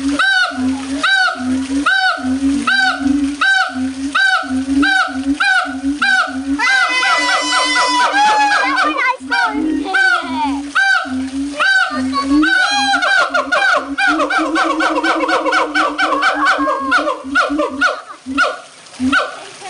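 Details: Howler monkeys kept at the Audubon Zoo, New Orleans, recorded 16 August 2008 as they grow very loud: steady, rhythmic, harmonic roars about every second, with a burst of higher, overlapping wailing tones partway through.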